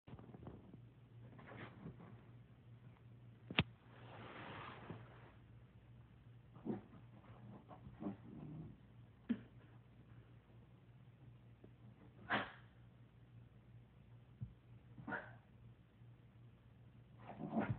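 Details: A puggle barking at his own reflection in a mirror gives short, sharp single barks spaced a few seconds apart over a low steady hum.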